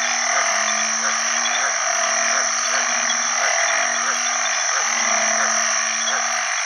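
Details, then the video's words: Banded bullfrog mating chorus after heavy rain at the start of the rainy season, Isan name ueng khi khan. Several males give low, bleating moans roughly once a second, backed by an unbroken wall of shrill frog calls. "อึ่งอ่างร้องหาคู่ bullfrog call"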